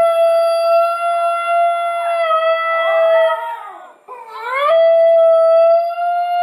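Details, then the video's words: Basenji joining in with a recording of another basenji yodelling: long steady tonal howls with rich overtones, a middle stretch of overlapping wavering, rising voices, a short break, then one clear sustained tone. "A Basenji Singalong"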